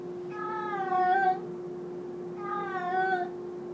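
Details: Two long, loud, wavering meows from a domestic cat indoors, spaced about two seconds apart, against a steady low hum.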